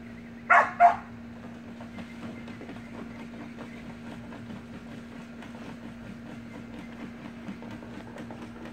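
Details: Two sharp, high barks close together from Samoyed puppies playing in a pool with their siblings, then only a steady low hum and faint background rustling.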